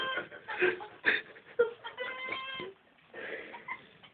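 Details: Domestic cats indoors, trying to catch a fly and meowing as they struggle; a run of short, harmonic, meow-like cries and chattering bursts, closely spaced over a few seconds, with a person's voice nearby.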